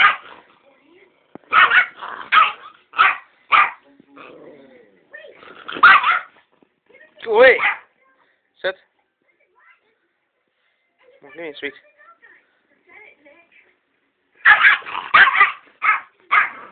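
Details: A male Yorkshire Terrier guarding a box of sweets gives sharp, high yapping barks in bursts, with low grumbling growls between, while a person talks.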